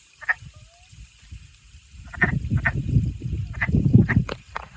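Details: Wood frogs give short, hoarse, duck-like clucks, repeated in quick bursts over a low rumble, heard on a spring hike at the end of April 2025; one frog clings to a stick.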